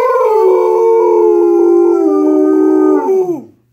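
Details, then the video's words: Pet Great Pyrenees joining in with an acoustic cover of a rock song. It gives a drawn-out howl lasting about three and a half seconds. The howl starts slightly higher, settles into a steady tone, then falls sharply at the close. "Our Great Pyrenees, Motza singing!"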